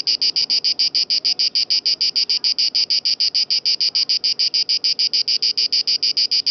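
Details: Italian cicada recorded at Lake Garda (Gardasee), its strident song a relentless series of buzzy pulses at a steady rate of about three per second, loud and clear over faint low background sound.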